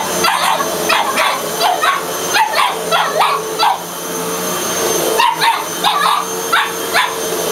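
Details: Boston terrier Yoshi battling a running vacuum cleaner indoors, a string of quick yappy barks about twice a second over the machine's constant hum and hiss.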